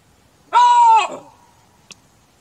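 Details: Chacma baboon (Papio ursinus), call.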